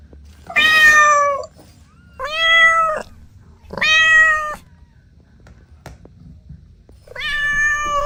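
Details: Domestic kittens playing with their mother and two siblings; four loud, clear, harmonic meows, each under a second, spaced about every one and a half seconds, with a quiet pause and a faint low hum between them.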